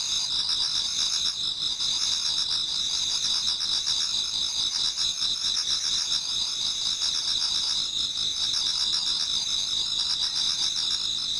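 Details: Insects singing together in a Japanese garden on an autumn night towards dawn, a constant high, glittering wall of sound with beaded, rapidly pulsing trills and occasional brief dips in loudness.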